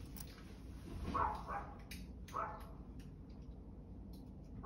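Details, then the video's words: Dog barking, a few short mid-pitched barks spaced unevenly over a few seconds, fairly faint against steady low background noise and scattered clicks. "barking dog"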